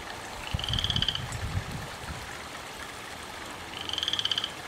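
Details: A garden frog calling through the night, heard as two rapid pulsed trills a few seconds apart over low rumbling noise.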